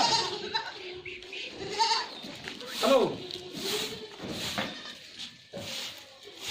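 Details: Goats on a farm in Ajmer, Rajasthan, India, giving several drawn-out wavering bleats, some overlapping, amid constant background noise and a person's voice.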